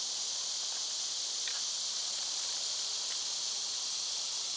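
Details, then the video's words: Cicadas in summer, loud at this time of year, giving a steady, unbroken high hiss that fills the air with no pauses; faint scattered chirps surface briefly near the middle. "Cicada sounds"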